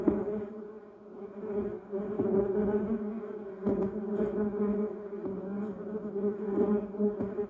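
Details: Bumblebees buzzing among yellow cassia and duranta erecta flowers; continuous low droning hum that fades briefly near the start then builds again, with overlapping wingbeats from several bees.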